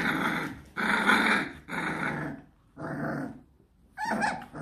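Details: Rottweiler puppies, 26 days old, indoors at their first solid meal, low rough growls in four drawn-out bursts of about a second each, with a higher yelp at the end.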